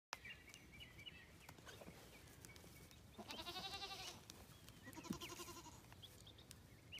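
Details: Goat play-fighting with a man, rearing on its hind legs as both try to assert dominance; two harmonic bleats near three and five seconds over scuffling and clatter, with a faint high whine in the background.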